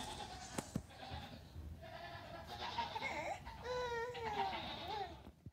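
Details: Young Nigerian Dwarf goat kids, three days to two weeks old, playing loose on a farm one morning while their mothers eat grain; several overlapping quavering bleats, some sliding down in pitch, follow a few sharp clicks.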